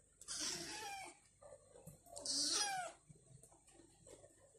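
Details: Stray Egyptian cat, mother or kitten, inside an apartment while the pair explores after a meal; two high, drawn-out meows, each falling in pitch and under a second long, separated by quiet shuffling.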